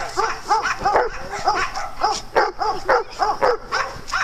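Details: Dogs at playtime on a farm, giving rapid, repeated yapping barks about three times a second in an uneven rhythm. There is a steady low background hum.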